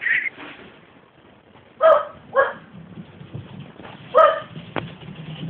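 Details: Romeo, a pet Welsh Terrier that hardly ever barks, barks indoors, apparently wanting to get out: three short, sharp, harmonic barks spaced over several seconds, an owner's voice at the start, faint household noise between.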